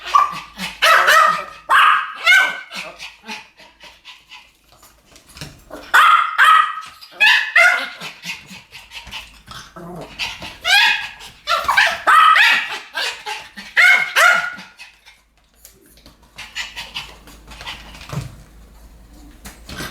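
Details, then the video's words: Two Pomeranians barking together in a duet, shrill rapid yaps in dense runs separated by brief lulls; the barking fades to near quiet in the final few seconds. "ポメラニアン Pomeranian デュエット吠え 1000回 犬の鳴き声"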